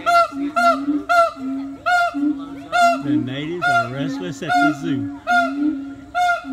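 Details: Siamangs give loud, honking barks in a steady repeated series as mating calls, with a lower second voice joining midway.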